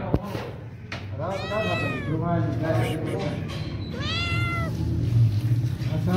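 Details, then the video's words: Hungry cat meowing for food, giving drawn-out arched meows that rise then fall, spaced irregularly, above a steady low hum and faint household noise. "Nasty Cat Meowing and Asking For Food"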